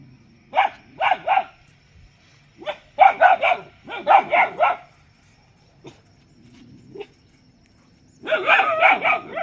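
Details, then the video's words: Barking dog heard in short clusters of two to four sharp barks separated by quiet stretches, ending in a longer, louder burst of rapid barking. "Dog Barking Sound Effect|Cute Dog Barking"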